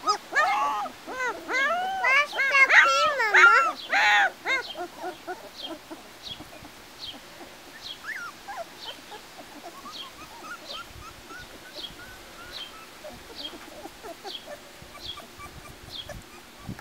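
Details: Two-week-old Golden Retriever puppies outdoors in summer sunshine, just gaining steadiness on their legs; loud wavering squealing whines for about four seconds, then many fainter high squeaks and whimpers repeating until the end.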